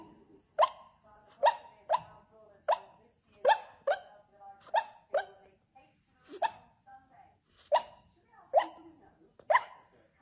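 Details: A dog gives a run of short, sharp barks, about eleven in ten seconds, spaced roughly a second apart with brief quiet gaps between them and nothing else clearly heard.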